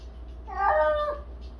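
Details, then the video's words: A cat on a cat wheel gives its daily cry indoors: one strained, wavering meow lasting under a second that swells and then drops in pitch, with a low background hum. "캣휠 타며 매일 울부짖는 고양이"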